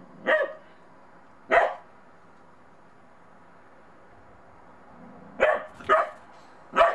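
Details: Bedlington Terrier puppy named Monty, out in the snow for the first time and unsure of a small snowman, gives sharp short barks: two spaced singles, then a quick burst of three near the end.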